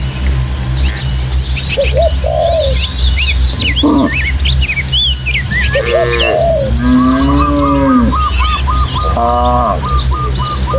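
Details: A herd of tame village cattle heads through the countryside to its pen with a gentle breeze blowing. Brief lowing starts the clip, then drawn-out, arching moos come near the end, with busy bird chirps and whistles all around.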